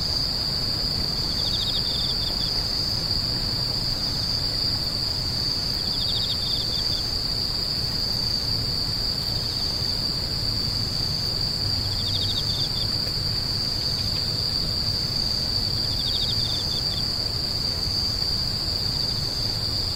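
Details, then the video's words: High continuous insect ringing with brief lower trilled bursts recurring roughly every four seconds, over a noticeable low rumble of distant background noise. "The sound of insects crying"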